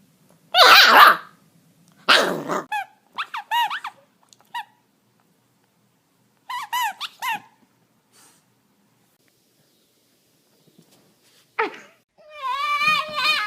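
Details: A dog lets out scattered high, squeaky yelps and whiny, wavering cries in short bursts across thirteen seconds, separated by long silences, and ends on a drawn-out quavering whine.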